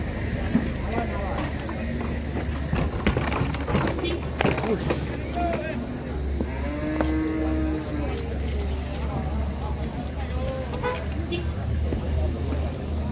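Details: Cattle arriving off a truck for Qurban, with some animals raging; a single drawn-out, slightly arching moo rises midway through a noisy scene of engine rumble, clattering and people talking.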